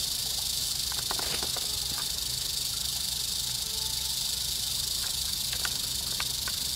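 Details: Wild eastern diamondback rattlesnake, almost trodden on at a muddy trail's end, 10 August 2007, keeps up an unbroken dry buzzing rattle for the whole stretch, with scattered light taps and a faint low hum in the background.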